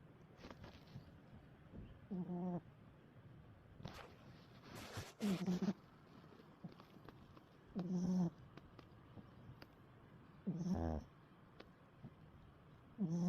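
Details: A dog snoring: low rasping snores roughly every three seconds, each a short buzzy rattle, with a few soft clicks and rustles between breaths.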